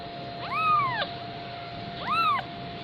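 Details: Persian kitten, 15 days old, giving two high, arched mews about a second and a half apart, each rising then falling in pitch, with a steady electrical hum beneath.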